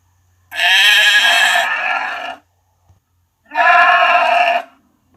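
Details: Lamb and sheep bleating high: two clean, strongly harmonic bleats in a quiet setting. The first is drawn out for nearly two seconds. A shorter second bleat follows after a gap of about a second.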